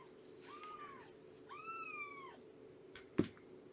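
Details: Shelby, a roughly two-year-old female cat at Purrfect Pals, mother of a three-month-old litter, on a morning visit, 19 September 2017: two drawn-out meows, rising then falling, the second longer, followed by a sharp click over a steady indoor hum.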